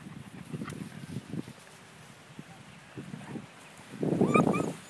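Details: Five-week-old German Shepherd puppies at a Florida breeding kennel: a rumble of low, muffled noises, then a loud burst of high whiny yelps sweeping upward near the end, with soft background chatter.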